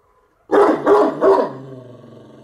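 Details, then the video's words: Bucovina Shepherd Dog, Horodnic de Sus, 30 September 2017: three rapid booming barks followed by a trailing low tonal rumble. "Ciobanesc de Bucovina"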